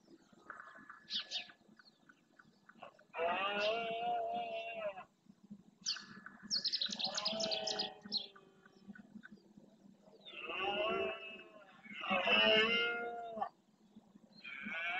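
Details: Rutting red deer males in the Doñana marshland, Spain, bellowing to claim territory: several drawn-out, rough roars, some rising then falling, with shorter higher calls between them and a steady low background hum.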